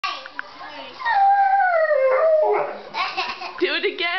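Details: Bullmastiff howling for daddy together with a baby: a single drawn-out howl sliding downward in pitch over about one and a half seconds, followed by a young child's voice.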